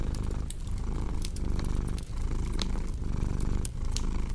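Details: A cat's deep continuous purr, pulsing with its breathing roughly every second, overlaid by bright crackles and pops from a wood fire.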